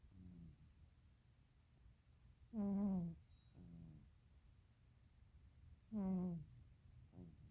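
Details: Sleeping house cat in a deep nap. Loud buzzing snores arrive about every three seconds, each trailing off downward and followed by a short, quieter snort. A low background hum runs throughout.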